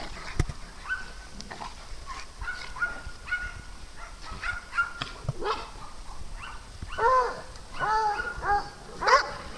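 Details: Playful dog on a farm shared with cats, with scattered thin yips early on, then a cluster of louder, fuller barks near the end; soft human voices and rustling in the background.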